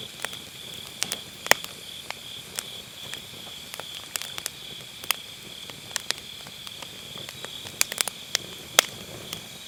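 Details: On an autumn night, grass insects keep up a constant shrill ringing trill next to a round fire-pit campfire, with frequent sharp firewood crackles and snaps over it; recorded on an MKE600 microphone with low-cut filter.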